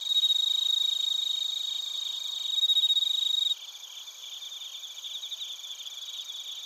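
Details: Crickets from Narita, Chiba, Japan: a loud, close pulsed chirping with a pure high sustained tone for the first half, which cuts off abruptly, leaving softer rhythmic chirps repeating about four times per second.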